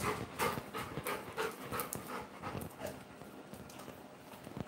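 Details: Labrador Retriever panting in quick, breathy bursts at roughly three per second, soft and uneven, with faint indoor voices and scattered clatter behind.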